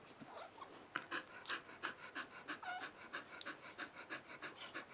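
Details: Three-day-old puppies of Mattie and Bodie, indoors: quick rhythmic panting at about three breaths per second, breathy pulses with a brief thin whine partway through, in a quiet small room.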